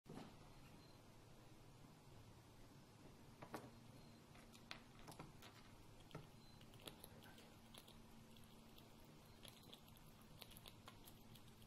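A red squirrel chewing, with irregular sharp clicks and crunches over a quiet background hum.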